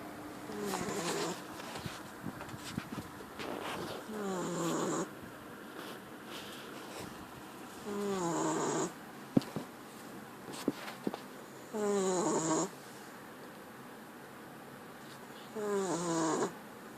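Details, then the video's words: Sleeping puppy snoring; soft rasping snores with a wavering upper tone, each lasting under a second, repeated about every four seconds against a quiet background hiss. "puppy snoring"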